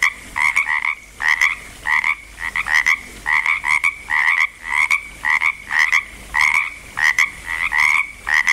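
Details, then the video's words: Frogs in Langlois, Oregon, just getting going, croak in rapid, raspy double-pulsed calls repeated more than once a second. "frogs croaking in Langlois Oregon"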